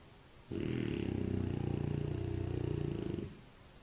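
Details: One snore from a sleeping French Bulldog: a single deep, fluttering rattle lasting nearly three seconds, with a rapid vibrating pulse and a faint airy whistle on top, then quiet.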